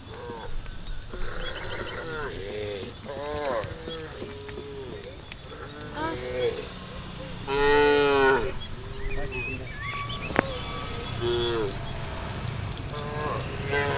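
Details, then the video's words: Herd of cows being driven by a shepherd toward a cattle farm in early morning mist: a run of short, rising and falling moos from several animals, then one loud drawn-out bellow near the middle, over a constant high hiss. "Funny cow sounds"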